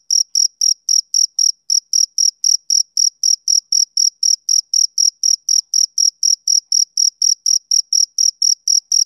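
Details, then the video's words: High, rhythmic chirps of a male cricket on a summer evening, about four per second, with one slightly longer pause early on before the even beat resumes. No other noise is heard. "Cricket Chirping Sound Effect"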